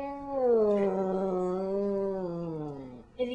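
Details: Cat eating icing gives a drawn-out meow-like call, a steady harmonic tone slowly falling in pitch over about three seconds, ending with a brief human voice.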